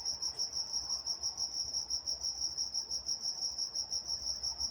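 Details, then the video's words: Nocturnal cricket chorus from Walnut, California, a piercing high chirp pulsing regularly about three times a second, with a thin higher band and quiet surroundings. "Nature Sounds Night Time Crickets in Walnut, California"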